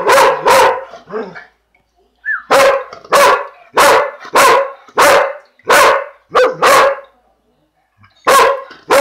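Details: Male purebred Dalmatian during his lunch, barking sharply and loudly in quick bursts, often in pairs, about a dozen barks with a short quiet gap in the middle and one brief whine.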